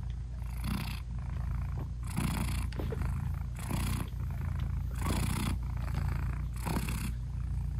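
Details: British Shorthair mother cat nursing her newborn kittens, eyes still closed; steady low purr rumbling under broad breathy swells that come about every one and a half seconds, with no music added.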